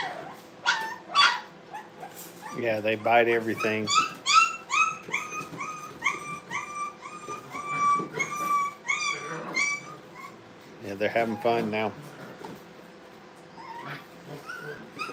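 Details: Brittany puppies at playtime in a kennel keep up a long stream of high, arched yips and whines, rapid and overlapping, while a human voice breaks in twice with brief speech.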